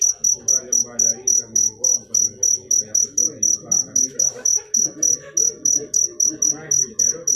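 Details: Sharp, high cricket pulses tick on in a regular rhythm, near twenty-six chirps in quick succession, over soft, indistinct low murmuring in the background.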